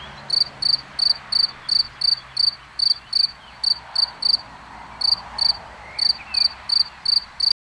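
A cricket sings a steady series of short, high, pure chirps, about three each second.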